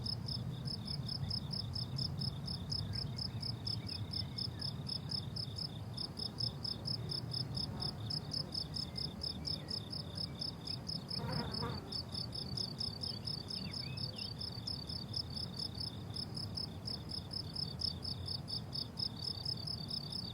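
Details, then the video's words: Steady shrill chirping of crickets across a blooming summer meadow, quick pulses running continuously, a short faint bird call near eleven seconds, low background hum. "Relaxing Cricket Sounds on a Summer Meadow"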